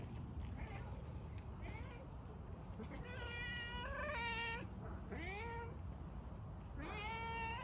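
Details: Cat giving a run of loud meows: a faint early pair, then a long wavering meow, a short one sliding upward, and a final level meow, against a noisy low hum.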